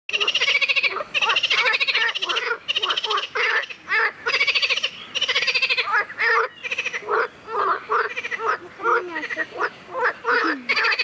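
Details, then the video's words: Frog singing loudly and close up: dense runs of rapid pulsed, rattling croaks in bursts of under a second, repeated almost without pause and overlapping, with a few shorter harsher notes. "Пение лягушки"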